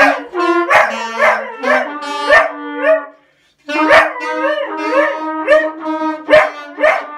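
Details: Pet dog howling along at Christmas to brass instruments playing Jingle Bells; drawn-out wavering howls blend with bright, repeated brass notes, with a brief silence midway before the music and howling resume.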